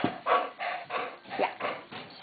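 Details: Two Welsh Springer Spaniels begging for food at mealtime, made to wait: a quick run of short, whiny yips and whimpers, about seven bursts in just over two seconds, rising and falling in pitch.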